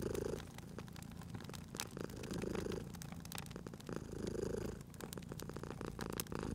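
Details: Cat asleep at a crackling fireplace, purring in a cozy spring ambience; steady low rumble pulsing in slow in-and-out cycles about every two seconds, overlaid with dry popping crackles from the fire.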